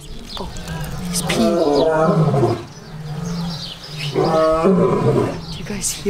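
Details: Lions at a zoo roaring, putting on a show for visitors: deep, grunting roars in two loud bursts with a rumbling low tone between them, a man's voice talking over them.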